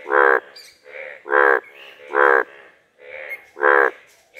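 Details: Frog on a village pond calling in the open: four loud, nasal, harmonic croaks, each about a third of a second long, spaced roughly one per second, with faint softer sounds in the gaps.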